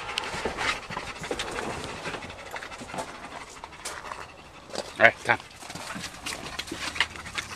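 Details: Solid black male German Shepherd Dog, one week short of two years old, filmed 18 July 2014 during obedience training; rapid, irregular breathy panting runs throughout, with a person giving spoken commands and praise over it.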